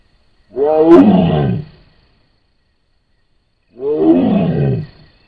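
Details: A wild Sumatran tiger (Panthera tigris sondaica) caught on a camera trap in Sumatra gives two deep, rasping moaning roars, each about a second long, a few seconds apart.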